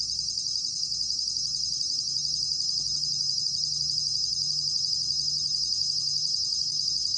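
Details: Bell cricket (곰방울벌레) from 2020 National Institute of Biological Resources material: a continuous, high, shimmering trill with a fine rapid pulse, steady in loudness throughout, over a faint low hum.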